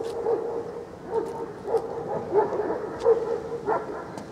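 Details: Young male Central Asian Shepherd Dog (Alabai) named Great Warrior Admiral, giving a string of short mid-pitched barks about every half second to second, each bark brief and punchy, with faint clicks in the background.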